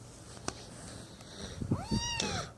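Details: Snowball, a rescued kitten found lost and abandoned in a street, malnourished, shaking and with infected eyes, gives one arched, drawn-out meow that rises then falls, amid soft handling bumps in a quiet room.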